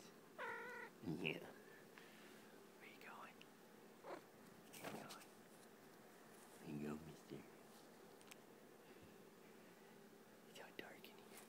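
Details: A house cat making snuggle sounds while cuddled up indoors: a clear harmonic meow opens, followed by quieter murmurs, with a person speaking softly in the background.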